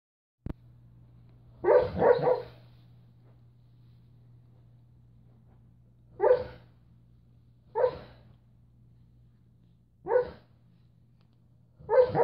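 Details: Sleeping dog barking while dreaming indoors: soft, muffled woofs, some doubled, spaced irregularly a few seconds apart, with a steady low hum in the room.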